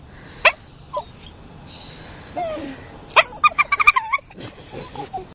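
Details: Max, a Toy Poodle, does his 'dolphin impression': thin, high whistled squeaks and short yelping whines. Some hold steady, some slide up or down, and they come in quick, irregular clusters over a quiet background.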